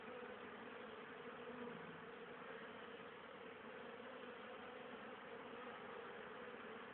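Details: Honey bees foraging in October, unusually active for the season, hauling pollen and nectar for winter stores; constant rich buzzing of a busy hive entrance, a low steady drone with no pauses.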